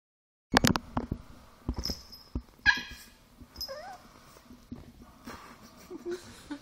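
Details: Chihuahua named Milk, angered by air being blown into her face, fighting back at the prank: sharp clicking bursts, then short high yips and a single wavering, rising-falling whine, with quieter whimpers trailing off.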